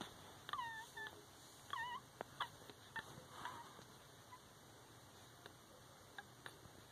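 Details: A litter of four week-old Shihcockapoo puppies, cocker spaniel father and toy poodle-shih tzu mother. Two quick bursts of shrill, curling squeaks come near the start, followed by faint clicks and rustles.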